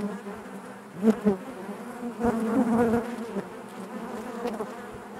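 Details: Bees inside their hive: a steady, dense low hum layered with overtones, swelling with louder individual buzzes near one second and again around two to three seconds before settling back.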